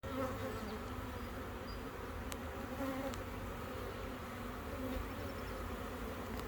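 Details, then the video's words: A dense honey bee buzz from a captured swarm in a bee yard whose queen is laying eggs, with faint short tones of a queen's piping rising through it now and then. "Queen Bee Making Piping Sound"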